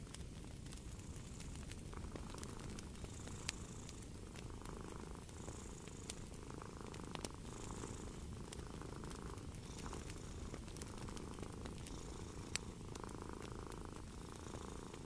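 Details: Relaxed cat purrs in a low, even rumble that rises and falls with each breath, while a crackling fire adds frequent sharp snaps in the background.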